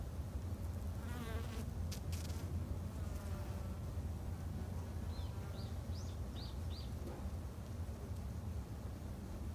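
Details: A strong low drone from Japanese honey bees tended in a home garden hive, steady throughout, with a few faint clicks early and a short series of thin rising bird chirps midway.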